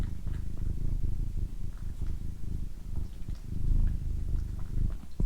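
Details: Deep, continuous purring from a female house cat in a close relaxation recording, the low pulsing rumble even and unbroken, with only slight soft rustles and clicks on top.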